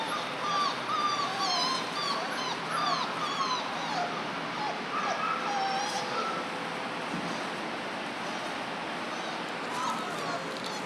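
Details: Four-week-old German Shorthaired Pointer puppies from one litter: thin, wavering whines and short squeaks scattered over a steady hissing background noise, thinning out toward the end.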